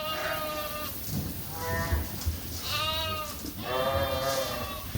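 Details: Suffolk lambs in a barn, groups mixed together after escaping through an open gate; a series of wavering harmonic bleats, one after another, from several lambs over a noisy barn background with soft thumps.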